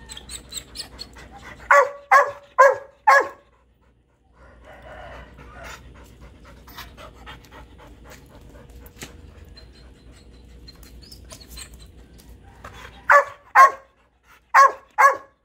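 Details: Golden Retriever and Shih Tzu puppy friends in a three-dog household: a quick burst of four barks, a long stretch of quiet panting and rustling, then four more evenly spaced barks near the end.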